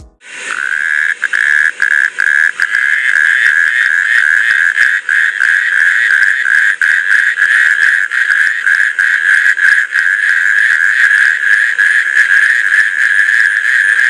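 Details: Male natterjack toads in Britain give a loud, rasping, rattling churr, sustained almost without pause, calling at night in spring with inflated vocal sacs to attract females; the calls carry several kilometres.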